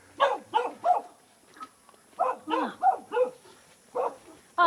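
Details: Dog in a remote mountain village in China barking from a distance, its puppies nearby. A burst of three quick barks, a pause, then a faster run of four to five barks and a final one, with no other sounds.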